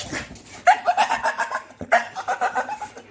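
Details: Household dog 'talking' to its people indoors: two bursts of rapid, pulsing, grumbly yodel-like vocal notes, each starting with a sharp yip and trailing off over about a second.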